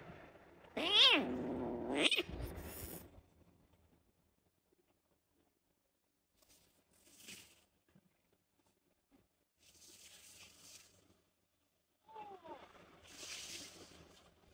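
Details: Rescued stray kitten with cat flu, on her first visit to the vet: a loud harmonic meow near the start, followed by quieter rustling and hissy noises, then a brief faint upward-curving cry near the end.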